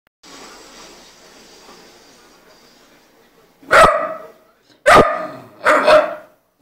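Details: Brown bull terrier puppy, three months old, barking after waking up: three loud, harsh barks about a second apart after a few seconds of quiet hiss.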